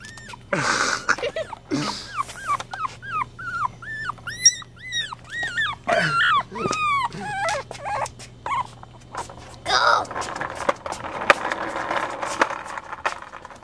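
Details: Chihuahua puppies, offspring of Goofy Rod jr, Coconut and Chichi, giving rapid high whimpering squeals, short arched and rising notes in quick succession, with a few broadband bursts and some human voice in between.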